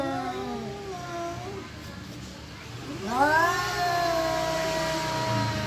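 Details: Domestic cat caterwauling, perhaps wanting to mate or about to fight: a long wavering yowl sinks and fades, a brief lull follows, then a louder yowl sweeps upward and holds as a drawn-out, rich, tonal howl over a low background hum.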